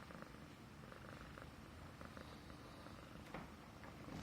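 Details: Himalayan Persian pet cat purring affectionately indoors while stroked on the neck, a sign of feeling safe and comfortable; steady low rumbling purr pulsing in even rhythm throughout, with a faint soft click near the end.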